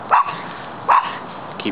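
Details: Two short-haired Brussels Griffons, Chance and Brutus, playing together at a park: two sharp, clipped barks about a second apart, then a softer third yip at the end, with a person talking nearby.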